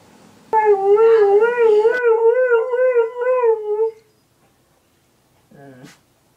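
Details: An Alaskan Malamute named Nikki howls to neighborhood sirens, a rhythmically wobbling tone pulsing several times a second for about three and a half seconds, then silence and a brief low whimper.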